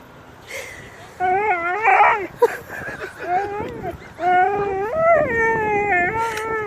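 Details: Dog throwing a tantrum while leaving the dog park, making long wavering whines and howl-like moans that rise and fall, with a person briefly calling to it.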